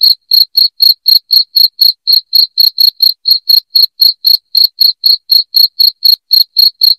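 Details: A cricket sounding loudly for chasing away rats indoors: high, piercing chirps tick along at roughly four a second, unbroken and clean of background noise.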